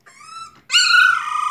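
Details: Four-week-old male puppy, a singleton, indoors and complaining: a thin, faint high whine, then a louder wavering whimper with rich overtones that slides slightly down and holds.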